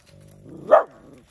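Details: Efa, a four-year-old dog shown alongside a dachshund and an alabai, voices her displeasure as a warning. A low, steady rumbling growl builds for over half a second and ends in one sharp, loud woof.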